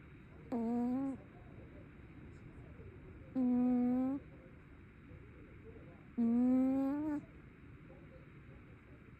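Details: Sleeping tabby cat snoring indoors: three tonal, slightly rising humming snores, each about half a second to a second long, spaced roughly three seconds apart with quiet breathing gaps between.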